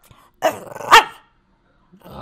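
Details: Pet dog, hungry and asking for food, gives two loud, rough, bark-like vocal bursts about half a second apart, followed by quiet and then a faint voice.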